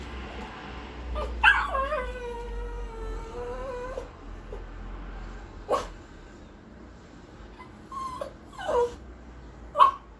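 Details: A Pinscher dog gives a long, wavering whine that slides gradually downward. Short sharp yips and clicks are scattered before and after it, with another brief whine and yelp near the end.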